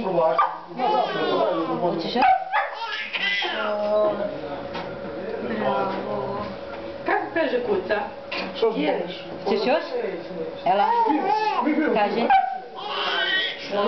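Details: Playful whippet barking for fun: bursts of bent, whining yips and howl-like barks between stretches of loud conversation and laughing, with a steady hum under the voices.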